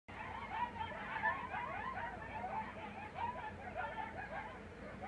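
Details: Coyotes howl at 3 am on the edge of the desert near Las Vegas, in a chorus of wavering howls and quick yips with voices overlapping throughout.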